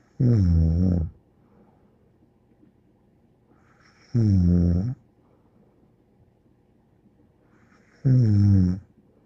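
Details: Sleeping dog called Bear giving three regular low snores, roughly one every four seconds, each a short rough rumble with layered overtones, quiet breathing-room hush in between.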